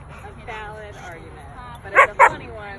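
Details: Young Belgian Malinois pup barking while guarding protectively: two sharp, loud barks in quick succession near the end, after a stretch of a man talking over low background noise.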